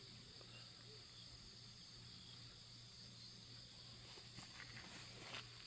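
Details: Grass insects on a morning walk in a mountain village, with garden flowers and pumpkin vines nearby. They give a steady, high-pitched continuous ringing in several even bands, soft and unbroken, with a low hum and brief rustles near the end.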